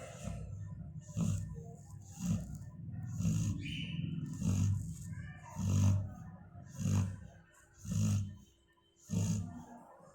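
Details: A sleeping female Labrador Retriever snores in slow, deep rasping breaths, roughly once every second, each a low rumbling grunt that swells and fades, with a faint hiss on each breath.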